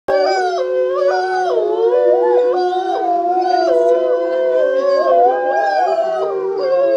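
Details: Several gray wolves at the International Wolf Center in Ely, Minnesota, some described as retirees, howl together in a rally chorus, long sliding tones overlapping and rising and falling.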